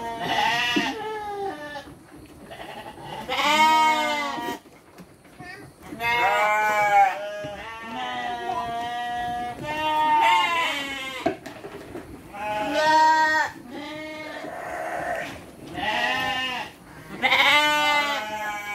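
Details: Several domestic sheep being given dry feed with children nearby, bleating in repeated harmonic, wavering calls about a second long, overlapping from more than one animal, with some speech in the background.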